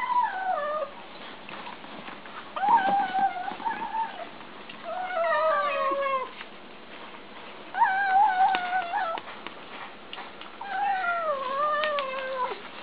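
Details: Kittens making noises while eating: five long, wavering, whiny calls that rise, hold and sag in pitch, each lasting one to two seconds with short quiet gaps, in a quiet room.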